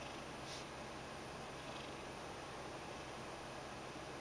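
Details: Mojio, a pet Ragdoll, purrs while kneading and begging after flopping onto his side: an even, low rumbling hum with no breaks, set against a faint steady background hiss.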